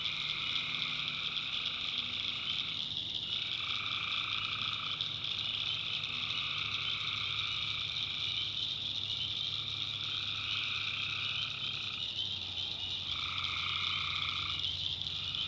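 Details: Tree frogs calling at night in North Carolina backwoods, a thick high chorus with distinct groups of pulsed calls starting and stopping every few seconds over a steady trilling background.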